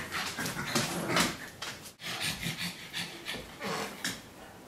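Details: Two dogs, a Pug and a Great Dane, at play inside a home office. Heavy rhythmic panting and hoarse huffing breaths, with a brief pause near the middle before the breathy puffs resume.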